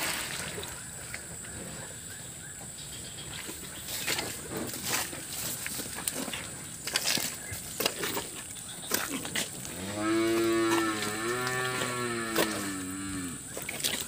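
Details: Cattle in a muddy flood-hit shed, a cow that recently gave birth: after scraping and sloshing of mud, a drawn-out low moo rises and falls over about three seconds near the end.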